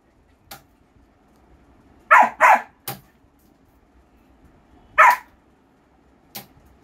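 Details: Barks from a German Shepherd puppy: a quick double bark, a single bark a few seconds later, and faint clicks and taps in between, indoors with little background noise.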